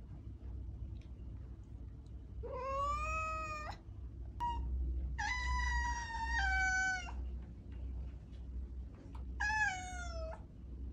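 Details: Calling domestic cat gives three drawn-out meows, the first rising then level, the middle long and flat, the last falling, with faint clicks and a low steady hum between.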